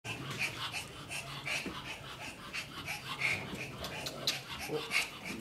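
Pomeranian puppies give thin, high squeaks and wheezy, breathy whimpers at irregular intervals.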